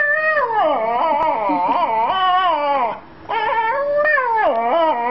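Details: A female Australian Shepherd crying about her boy: long, wavering, whine-like vocal howls that rise and fall in pitch, with a short pause near the middle before the wavering cry resumes.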